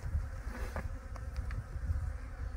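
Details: Western honey bees in an opened hive during a quick spring inspection, frames full of honey and bees: steady low droning hum with a few clicks and knocks from handling the frames.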